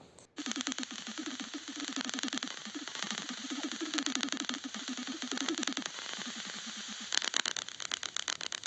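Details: Greater horseshoe bat (Rhinolophus ferrumequinum) echolocation calls, ultrasound emitted through the nose for navigation, heard as a rapid stream of low warbling pulses over a hissing background.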